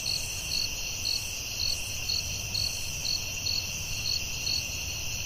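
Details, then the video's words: Night-time forest crickets: high pulsed chirps about once a second over a continuous shrill ringing drone, with a soft low background rumble. "Soothing Cricket🦗 Sounds at Night"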